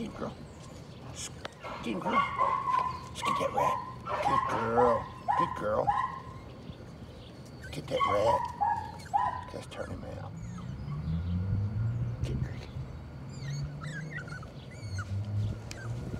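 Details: Patterdale Terrier puppies, including a young black female, working rats in the evening around a puppy pen. Yelping, whiny barks come in clustered bursts, with human voices talking and a low hum underneath.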